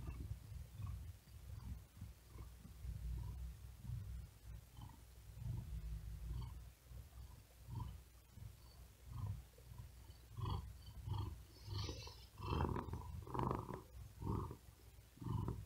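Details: Exhausted cat lying on a wooden desk on a very hot day, unable to sleep, purring with fast laboured breaths; deep rumbling bursts that grow louder and quicker toward the end, with a faint hiss midway.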